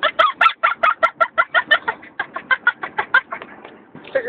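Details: A 10-week-old female Vizsla puppy gives a fast run of squeaky, chattering, almost monkey-like yips from her crate during a three-hour car ride home from the breeder.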